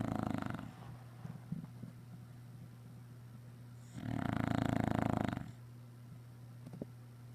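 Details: After a day of running around outdoors, an English Bulldog snores. A snore trails off at the start, then a full, gravelly snore of about a second and a half follows, with faint clicks and a steady low hum.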